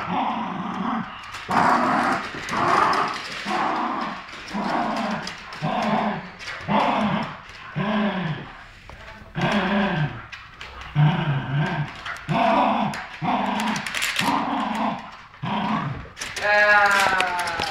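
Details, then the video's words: A poodle and a terrier, best friends, growl while tugging a new toy between them: rhythmic rumbling growls pulse about once a second, ending in a sharp, high, whining yelp. "Poodle vs Terrier tug of war get off my toy."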